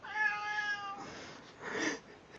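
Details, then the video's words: A domestic cat greeting with a single meow of about one second, a steady tone with rich stacked harmonics, followed by a person saying hello. "Cats Saying Hello"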